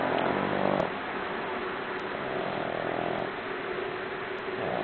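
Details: A four-month-old Boston Terrier puppy snores like a freight train, a rough, rumbling, steady rasp.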